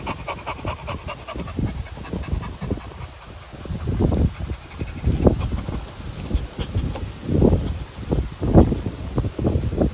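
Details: Continental Bulldogs Rita, 10 months old, and puppy Sumo, 2 months old, meeting for the first time. Uneven bursts of breathy panting and snuffling mix with heavy low bumps of movement and rustling.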